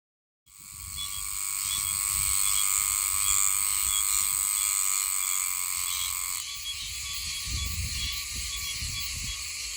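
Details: Oshima cicada, an autumn cicada of Okinawa that sings high in trees, in Yomitan village: after a brief silence a loud continuous metallic buzzing drone begins, with a steady band of tone beneath it that shifts slightly partway through.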